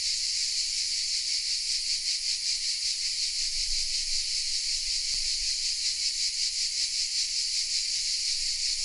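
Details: In the oak trees of a small village, Vézénobres in the south of France, many cicadas sing together as a steady shrill buzz, lightly throbbing in regular waves, with a brief faint click midway.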